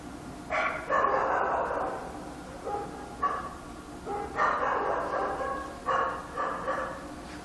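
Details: Dog in Korea at night giving longer, rougher, hoarse barks, about five drawn-out noisy bursts with gaps between them, sounding muffled and echoing against a steady hum.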